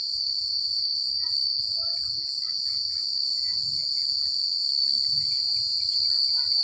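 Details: An unbroken high cricket trill carries through a countryside night, with faint, sparse chirps from other creatures scattered beneath it and a gentle low rumble, possibly wind.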